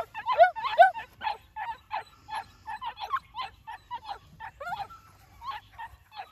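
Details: Young New Zealand Huntaway puppies give a loud opening pair of yelps, then a steady run of softer, short yips at a quick pace, some whining and slurred, fading toward the end.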